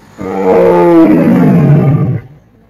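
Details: A tiger at a jungle safari gives a single deep, throaty roar that falls in pitch over about two seconds.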